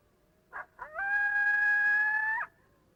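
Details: Flat howl of a coyote, held at constant pitch with little change and a slight taper at the close; brief double yip, then a steady unwavering tone of about one and a half seconds ending with a small downward dip.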